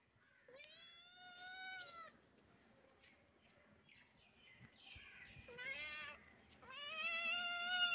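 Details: Baby kitten gives a long, steady meow, then after a quiet stretch two more drawn-out cries, the last loud and wavering upward, over a soft background hum.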